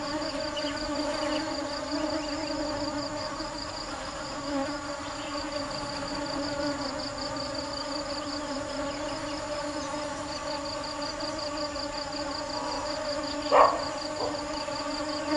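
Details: Bees foraging for nectar give a constant low buzzing drone rich in overtones. A sharp knock sounds near the end, and a rhythmic high-pitched pulsing continues throughout.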